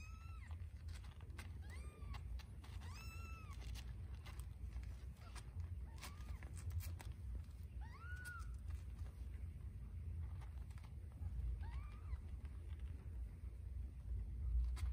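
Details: Scottish Fold kittens feeding from their mother, a tortie kitten holding her place at the nipple; scattered short mews, loudest early on, then occasional brief calls amid rustling and low hum.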